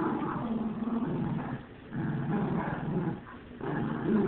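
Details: Dog growling in low, rough, continuous rumbles, with a short pause near the middle and another just before the end, then resuming louder.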